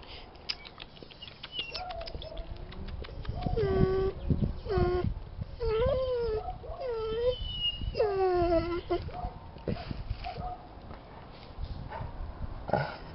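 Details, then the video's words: Jessy, a Bernese Mountain Dog, bored with her owner, gives a string of high whining moans and rising-falling yowls, several drawn-out cries in the middle seconds, with faint speech and background noise. "Jessy (Bernese Mountain Dog) is bored with me :)"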